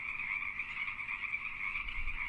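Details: Frog mating call, given to attract a suitable mate, with choosy females favouring strong, healthy callers: a dense, unbroken chorus of high buzzy trilling, steady in pitch, with a fainter lower band beneath and no pauses.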